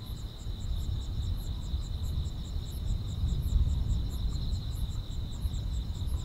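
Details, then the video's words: Countryside summer night with grass insects chirping: a continuous high-pitched ringing trill layered with quick, evenly pulsed chirps above it, while a loud low rumbling noise fills the background. "여름밤의 포근한 풀벌레 소리"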